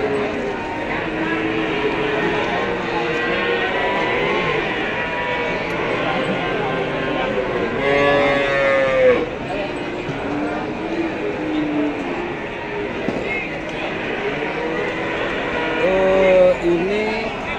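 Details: Female Pegon and Limousin cattle calves offered for sale; two short lowing moos stand out near the middle and end over steady crowd chatter and people talking throughout.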